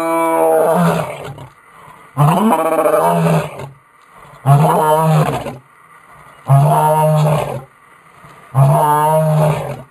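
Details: A lion roaring, a sound used for recognition among pride members; five long, loud, deep grunting roars, each lasting about a second and a half, come at steady intervals of about two seconds, with near silence between them.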